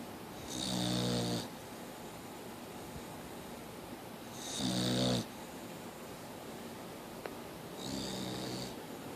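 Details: Mia, a Boxer dog, snoring: three harsh, buzzy snores, each under a second long, arriving every three to four seconds with quiet breathing pauses between them in a small indoor room.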